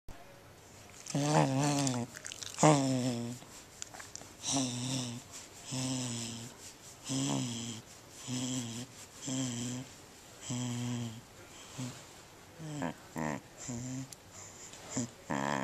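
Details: Kona, a corgi enjoying a belly rub, gives deep, harmonic groans and grumbling moans, some rising and wavering, every second or two, with breathy snuffles and faint rustling between.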